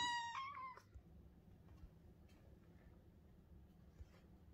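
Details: Half-Persian kitten demanding love and attention gives one loud meow, a clear harmonic cry under a second long that wavers slightly before dropping away, then quiet indoor room tone with a few faint soft knocks.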